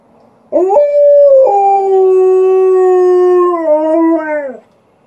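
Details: Alaskan Malamute inside the house howls back at an outdoor siren; a short rising yelp leads into a long, level, harmonic-rich howl that dips and tapers at the end, with a faint low hum beneath.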